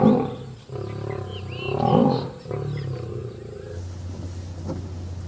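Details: Gir National Park, Sasan Gir safari: an Asiatic lion gives hoarse, throaty roaring that swells to a peak, then fades. Behind it sits a steady low engine-like hum, with faint higher cries early on.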